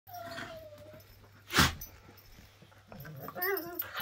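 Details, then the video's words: Whippets playing together: a thin whining tone near the start, a sharp loud burst around the middle, then a rising, wavering whimper toward the end over a steady low hum. "How whippets play, it always looks bad !"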